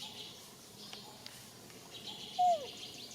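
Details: Newborn baby monkey being refused milk by its mother, Nisa; one short, clear tonal cry that holds briefly and then slides downward, over a quiet background of soft rustling and faint high hiss.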